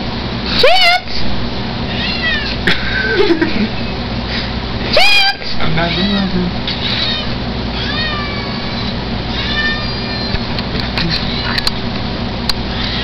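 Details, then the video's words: Chance, a Siamese mix pet cat reluctant to be filmed, gives two loud rising meows about four seconds apart, with a person talking to him and coaxing him throughout. "chance the siamese mix cat"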